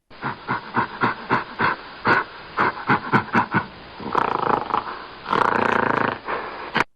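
A gorilla gives a quick run of about a dozen short, gruff hoots, then breaks into two long, harsh roaring bursts.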